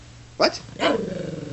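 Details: A pet Shih Tzu, shown enjoying a cold beer, gives two short barks about half a second apart. The first is sharp, the second rougher with a growly tail that fades into quiet room noise.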